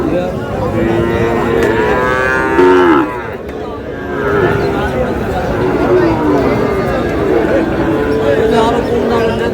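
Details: Sahiwal breed bull calves at a busy market, 18 June, a Noakhali farmer buying: repeated moos, one sharply bending downward near the middle, drawn out among murmuring crowd voices and haggling.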